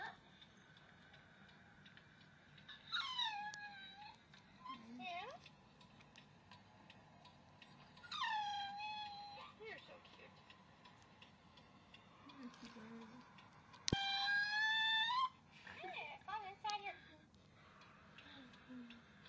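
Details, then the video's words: Puppy Pooka whining while another dog, Bam Bam, reacts with head tilting: a few drawn-out, high, tonal whines that fall slightly in pitch and come every few seconds, with faint room noise between them. "Bam Bam's reaction to a puppy whining"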